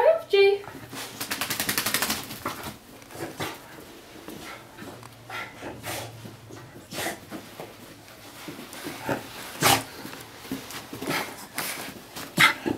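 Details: A male Miniature Schnauzer, freaking out and drying himself off after a bath as he always does, gives sharp, excited barks and a brief whine amid people talking and laughing indoors.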